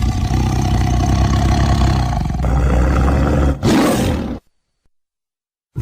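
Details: Tiger roaring: a deep, rumbling, continuous roar held for about four seconds, rich in low tones, with a brief break near the end before it stops abruptly into silence.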